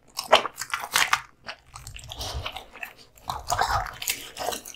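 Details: American Bully dog eating raw meat and bones indoors: wet biting and sharp crunches come in bursts, with low gnawing between them and brief pauses.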